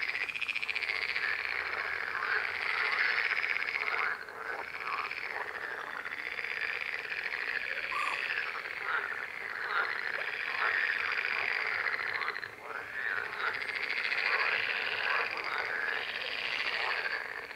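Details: Massed frog calls form a continuous, grating chorus of fast pulsed trills with occasional short croaks, dipping for a moment near four and twelve seconds before resuming at full strength.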